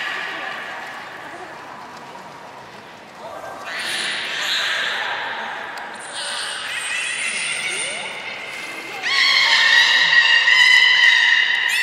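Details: Beluga at Port of Nagoya Public Aquarium, 27 January 2019, during playtime after a feeding session; high, harmonic squealing whistles build in loudness, steady tones near the end, over a hall-like murmur.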